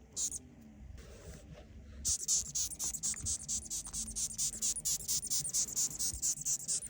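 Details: Moth squeaking while feeding: a rapid train of short, very high-pitched clicky pulses, roughly two per second, starting after a brief pause and continuing steadily to the end; faint low background hum.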